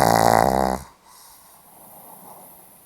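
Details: Pomeranian dog snoring while asleep indoors, recorded 8 November 2015: one loud, rough, harmonic snore lasting under a second, then a quiet room with faint breathing.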